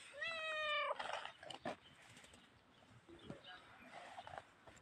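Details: Tiny grey cat giving one clear, drawn-out meow with a slightly rising then falling pitch lasting under a second, followed by clicks, tapping and rustling.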